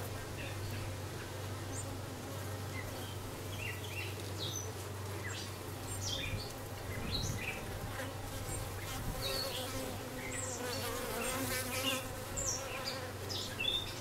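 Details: Dark honey bee queen just arrived, recorded 6/5/13: steady deep humming drone throughout with shifting overtones, and frequent short bird chirps and twitters in the background.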